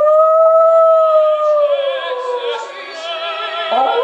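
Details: West Highland White Terrier howling along to the opera aria O Soave Fanciulla: a long smooth tonal howl holds steady, then slowly sags in pitch, over vibrato-rich operatic singing and orchestral music.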